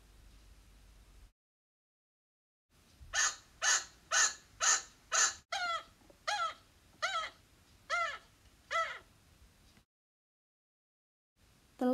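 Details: A pet chinchilla gives a loud alarm call, a run of sharp, honking barks about twice a second. This is the call of a startled or upset prey animal, which even a passing car or the heating coming on can trigger.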